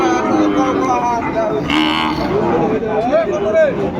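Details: A Sahiwal bull-calf market at Ambari hat, Dinajpur, Bangladesh, 18 November 2024, at the start of trading. Bellowing cattle give a steady low moo and then a short rising call, with bargaining voices and background music around them.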